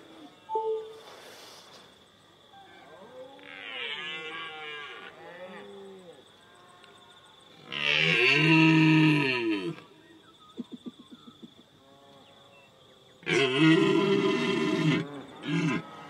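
A red deer stag gives deep, harsh roars, each a long bellowing blast lasting one to two seconds.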